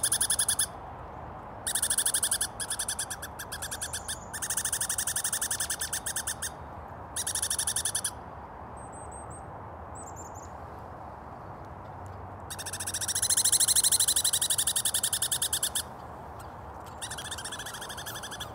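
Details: A female Douglas squirrel chases her daughter, who returned in winter, with harsh, buzzy territorial rattles in repeated bursts of a second or two, a longer rising rattle near the end, and faint high whistles between.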